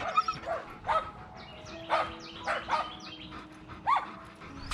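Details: Tonka and Monroe, two dogs so excited before a morning bikejoring run that they cannot sit still for their leashes, give arched, whiny yelping cries about once a second, rising and falling in pitch, over a faint steady background hum.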